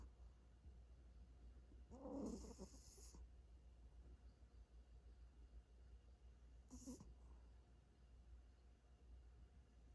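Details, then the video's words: Sleeping cat snoring as it dreams: a breathy, rasping snore burst of about a second near the start, then a shorter, softer one several seconds later, over a low steady indoor hum. "고양이 자는 소리🐾🐱😍 코골이 꿈꾸는 중"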